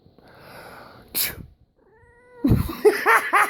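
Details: Pet cat reacting to a person's sneezing: a loud sneeze, then a short faint meow, followed by a run of rising-falling, chirp-like vocal bursts in quick succession, possibly with human voice mixed in.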